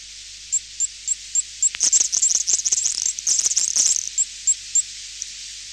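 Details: Garden tiger moth producing clicks that block bat echolocation, heard at a distance: evenly spaced high-pitched ticks about every quarter second, then a dense burst of rapid clicks before the even ticking returns.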